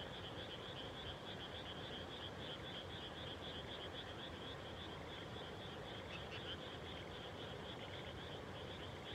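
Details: Evening frog chorus shortly after rice planting on 30 May 2021, countryside farm; an unbroken, even rattle of high croaks runs throughout over a soft low background rumble.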